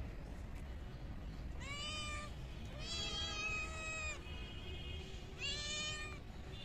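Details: Hungry stray kittens offered raw fish from a pond meow three times, longer bright cries about a second each with a gap between, while a steady faint tone lingers in the background.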